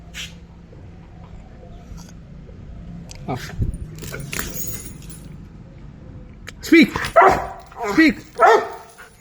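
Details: Pet Rottweiler playing with a ball: after a stretch of human voices and music, four loud, deep barks with rich harmonics come in quick succession near the end.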